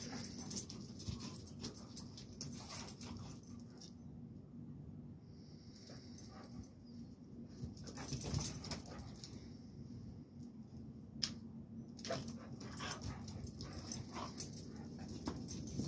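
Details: Fight between a Rottweiler and a blue pit bull; deep, sustained growling and snarling throughout, broken by scuffling knocks and bursts of hiss, with a brief quieter lull in the middle before the struggle intensifies.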